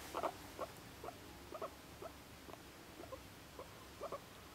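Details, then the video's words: Pet guinea pig, about one and a half years old, living indoors in an apartment; soft, short squeaky chirps repeated roughly every half second, faint against a quiet background hiss. "普段はキュンキュンとかホニョホニョ言ってて、怒るとプイプイとか言う動物【モルモット】 My guineapig is a lovely chatter!"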